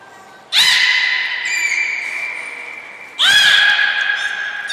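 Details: Captive belugas at Port of Nagoya Public Aquarium on 14 March 2021 while moving between pools and training. Two loud, long, nasal harmonic calls, each starting with a crackling pulse burst, then holding an even tone that slowly fades.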